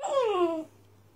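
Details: New red Doberman puppy indoors gives a single short whine, a smooth falling tone sliding down over about half a second, then quiet room.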